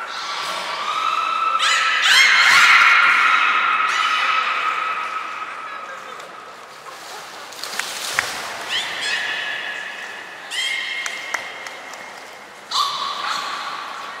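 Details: Captive belugas Nana, Mirai and Nico at Port of Nagoya Public Aquarium, training, 11 January 2021: a series of sustained, buzzy-edged tonal squeals at several steady pitches, separated by pauses, with scattered sharp clicks and knocks.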